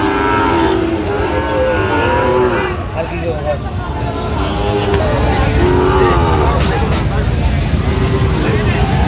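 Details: Sahiwal bull calves at a cattle market in Tangail, Bangladesh, on 19 September 2025, lowing in drawn-out, wavering moos that overlap one another, over constant crowd chatter, bargaining voices and passing vehicle noise.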